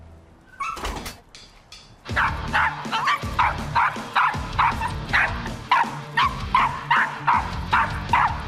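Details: A two-year-old male Dachshund in Hampshire barks non-stop, sharp high yaps about twice a second, from anxiety and panic on being taken out the front door, with a few softer sounds before.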